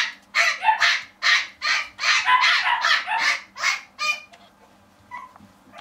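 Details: Dog at a Japanese pet shop giving a fast run of sharp, harsh barks about twice a second, several overlapping, then trailing off into a few fainter, higher yelps near the end.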